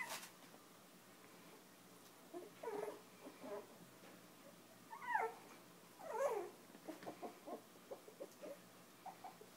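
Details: Five-week-old Chinese Crested puppies playing and nursing beside their mother, fostered from Almost Home No Kill Animal Rescue; scattered soft squeaky whimpers and short yelps, a few louder wavering squeals, in a quiet indoor setting.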